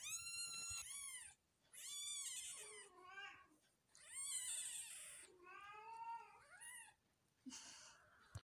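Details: Newborn Persian kitten crying in a run of overlapping high meows, some wavering and downward-sliding, with hissy breathy noise and a couple of sharp clicks toward the end.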